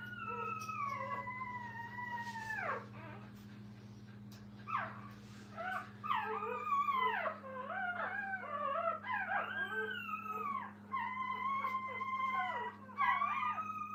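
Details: Fussing puppies beside their mother in a kennel give long sliding whines, then a busy run of short, yelping, up-and-down cries from several pups, with a constant low hum underneath.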